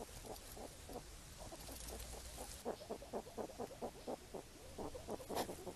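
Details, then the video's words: Wild hedgehogs foraging for apples in falling rain: rapid, short, low grunting snuffles repeated about four times a second, some louder and sharper toward the end, over a soft steady hiss. "Wild Hedgehogs Forage, Pick Up Apples & Go Swimming While Grunting"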